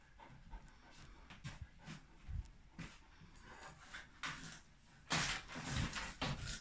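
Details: Irish Wolfhounds Victor and Vera indoors, waiting for soft ice while told to sit: rapid, irregular breathy panting in soft bursts, with a louder rush of breaths near the end and spoken commands around it.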